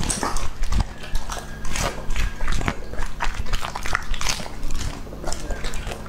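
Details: Raw meat being devoured by Lucky, a male English Labrador aged two and a half, inside a small room: loud crunching bites and smacking chews in quick uneven succession, with a faint constant low hum behind.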